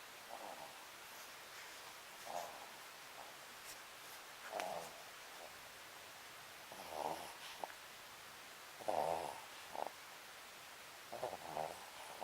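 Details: Pet Papillon Sakura dozing, giving uneven, fainter snorts and snores at irregular gaps with small clicks between them, in a hushed indoor setting.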